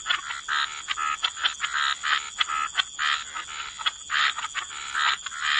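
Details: Frogs croaking together by the water in a wetland, short raspy bursts overlapping in quick succession, with a constant thin high tone running underneath.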